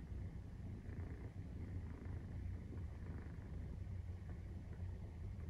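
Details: Continuous low, pulsing purr from a 43-day-old Maine Coon kitten while nursing, steady in loudness apart from a short dip just past one second.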